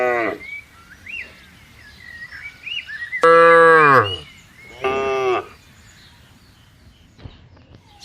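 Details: Cattle grazing and walking on a green field while herded, giving two strong, brief moos, one louder and falling at the end, amid scattered bird whistles.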